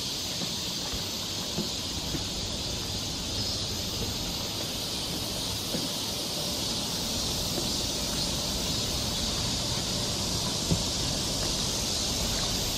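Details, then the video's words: Cicadas singing in summer along a forest trail in Seoul, Korea: a steady, unbroken high hiss-like drone with faint low rumble beneath throughout. "cicada sound"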